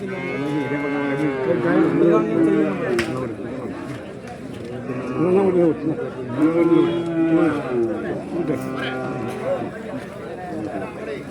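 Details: Bull calves at a cattle market in Kollannur, Kerala, India, during trading: drawn-out harmonic moos near the start and again mid-clip, with men talking, bargaining and laughing throughout.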